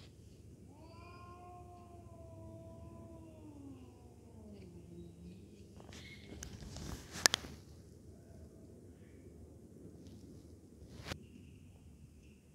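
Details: Sibling domestic cats in an aggressive fight: a drawn-out, wavering yowl that slides downward over about four seconds, followed by quieter rustling and a few sharp thumps and clicks.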